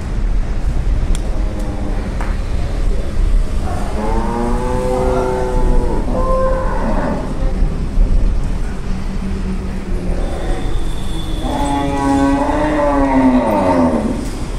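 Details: Milk cows offered for sale at a khatal in Bankra, Howrah, near Kolkata, in November; two long harmonic moos, the first lasting about three seconds and the second rising then falling, over steady low rumbling background noise.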